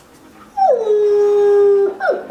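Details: One of two Old English Sheepdogs being taught to howl gives a long, steady howl that slides down and holds a low, even pitch.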